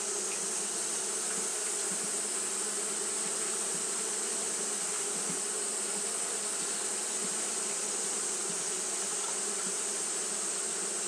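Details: Japanese honey bees fanning continuously on a hot day, a dense steady buzzing hum with bands near the low-mid range and a bright hiss overhead, unbroken throughout with no other clear sounds.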